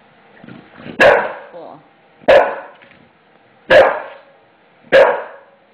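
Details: English Bulldog, a male frightened and angered by a newly installed floor, barks at it in a rare hour-long outburst: four gruff, hoarse barks roughly every one and a half seconds, each trailing off.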